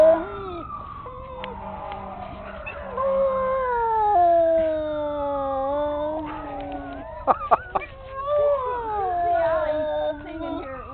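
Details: Black pug howling at a passing fire truck's siren, which it hates: long drawn-out wailing tones sliding slowly up and down in pitch, several overlapping, with a few sharp knocks near the end.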